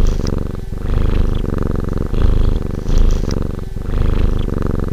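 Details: Relaxed cat purring steadily and deeply, a continuous low rumble that swells and eases with each breath, about once a second, with no other sounds.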